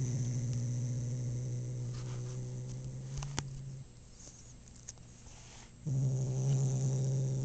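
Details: Male house cat back from a dental cleaning at the vet, uttering a low, steady, droning moan held for nearly four seconds, dropping out briefly, then resuming stronger; indoors and quiet.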